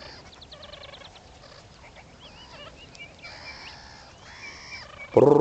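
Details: Five baby meerkats play and call loudly four days after first emerging from their burrow; a run of rapid harmonic peeps, then tonal wavering whistles and drawn-out nasal calls, ending in a sudden loud rough burst.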